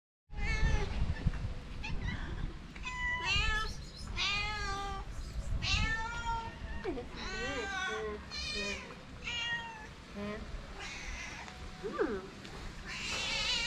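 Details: Several stray calico cats on a street in Morocco gather around people, meowing insistently in overlapping nasal, wavering cries for food and affection.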